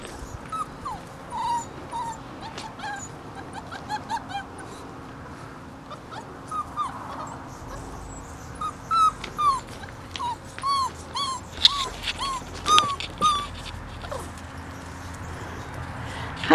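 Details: Five-week-old Bernese Mountain Dog puppies learning to play together in a yard: thin, high whimpers and yelping squeals, each short and bending up then down, scattered irregularly and growing busier toward the end over a faint steady hum.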